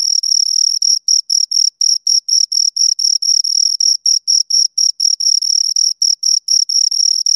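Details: Two crickets chirp close up, a clean high-pitched trilled pulse repeated roughly twice per second in steady bursts with brief gaps, no other sounds over a silent background.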